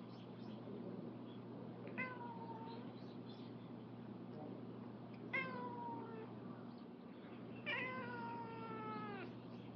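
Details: Rescued cats outdoors in a garden, a former stray among them; three drawn-out, falling meows sound at about two, five and eight seconds over a steady low hum.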